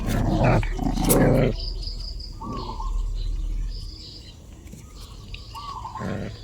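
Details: Dog giving harsh, rough barking bursts packed into the first second and a half, then falling quiet while thin, level whining tones come and go against a steady outdoor background hum.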